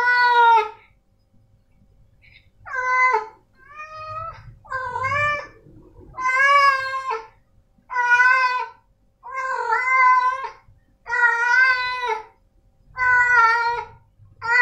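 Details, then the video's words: Repeated meows of male pet cats named Snowy and Milo, indoors; about ten harmonic calls roughly every one to one and a half seconds, some short and thin, most full, wavering and slightly rising, with brief pauses. "Suara Kucing Jantan"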